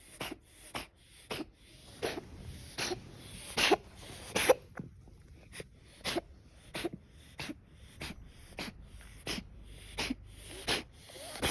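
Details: A male mixed-breed tabby-and-white cat, 2–3 years old, coughs repeatedly indoors, giving short, harsh, wheezy bursts a second or less apart with raspy breaths between them; a vet suspected chronic bronchitis.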